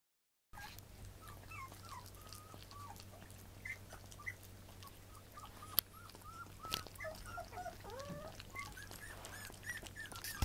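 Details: Puppy whining in short high squeaks, some rising and falling, several overlapping in quick succession over a steady low hum, with occasional clicks and knocks.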